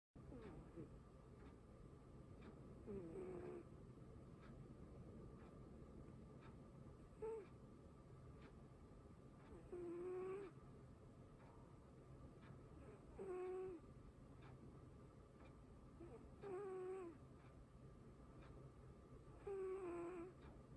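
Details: A pet cat named Pochi snoring while asleep indoors, soft nasal snores with a faint tonal whine recurring about every three seconds over a steady low hum.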